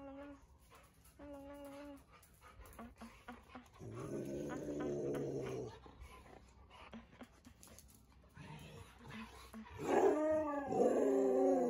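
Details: Siberian Huskies on a walk around home in cool winter air in Ubon, Thailand; short tonal whines early on, then a rough drawn-out vocalization, ending in loud wavering, howl-like cries with rising and falling pitch.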